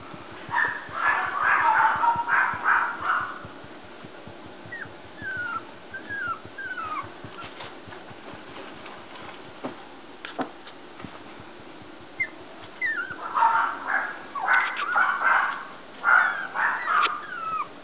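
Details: Newborn male red Toy Poodle puppy, born 1 December 2014 at a breeder in Shiga, Japan, on its first day of life: bursts of high squeaky whimpers and short falling squeals, then quieter sliding cries, then another burst of whimpering.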